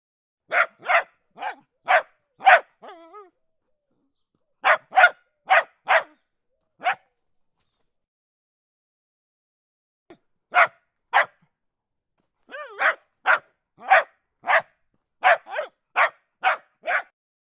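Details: Dog barking in bursts of rapid, evenly spaced barks, with a brief whine after the first burst and a long silent pause before barking resumes faster toward the end.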